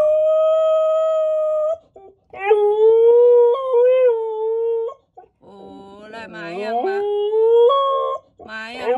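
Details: A two-year-old female Siberian Husky howls for the first time, in long, clear tones that bend and waver in pitch, as she is urged to call "Daddy".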